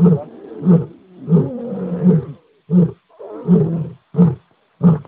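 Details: Lion in a series of deep, hoarse grunts repeated about every half second to second. Some are short and punchy, others longer, rougher moans, with short gaps between bursts.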